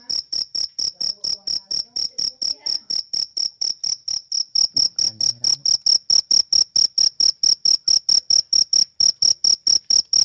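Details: Cricket chirping in a loud, high, pure trill pulsed about twice per second, very regular and steady throughout, with faint low knocks in the background.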